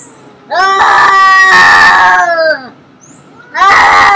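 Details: Cats in a fight give loud, drawn-out wailing yowls: one long rising-and-falling howl, then a quieter pause, then another yowl starting abruptly near the end, harsh and strained, with nothing else heard.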